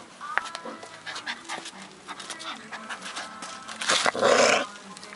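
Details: Dozer, a feisty four-week-old working mastiff puppy: soft snuffling noises, then a short, harsh, loud bark-like burst near the end, over a faint steady tonal hum.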